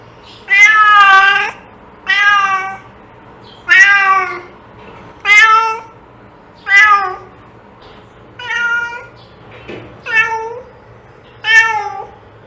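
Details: Repeated domestic cat meows used to attract cats: nine harmonic, wavering meows of varying length about every one and a half seconds, some bending up then down, over a quiet humming background.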